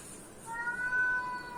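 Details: Domestic cat reacting to other cats' sounds; a short, faint, drawn-out tonal meow holding a fairly steady pitch over a quiet background.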